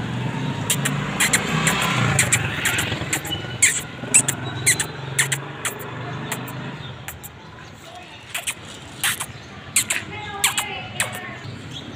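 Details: On a street, a man talks over passing traffic while sharp clicking taps repeat, with no animal call heard.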